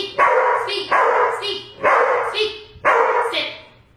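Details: Rocco, a two-year-old Black and Tan Coonhound, barking during basic training practice on the speak, sit, lay down and paw commands. Four loud, deep barks come about once a second, each full and harmonic-rich and trailing off, with brief gaps between them.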